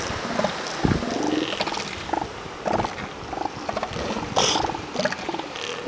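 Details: Northern elephant seals, molting and pups, at Piedras Blancas near San Simeon, California, and Cape Arago, Oregon; a busy colony of scattered short snorting, gurgling grunts and belches over steady background noise.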